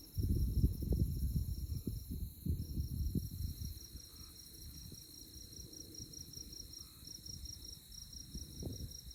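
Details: Chirping insects fill a moonlit tallgrass prairie night at Konza Prairie Biological Station, Kansas; the high chorus pulses rapidly and steadily, briefly dropping out once, with rustling low wind gusts loudest early on.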